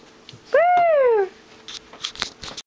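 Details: Black Lab puppy talking on command: one drawn-out, slightly rising then falling whine lasting under a second, followed by soft rustling and handling noises indoors.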